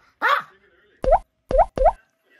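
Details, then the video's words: Sanggu, a male Maltese dog born in 2007, barking at home to beg for food while chocolate cake is eaten; an opening whine, then three short sharp barks in quick succession within about a second. "간식달라고 조르는 뻔뻔한 강아지 초코케이크에 진심인 집사 |먹을때 짖는 아이"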